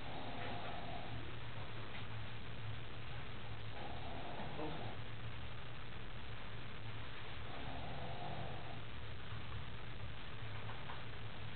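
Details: Eva, a female pug, snoring while she sleeps: soft, muffled snores recur about every four seconds over a steady low indoor hum.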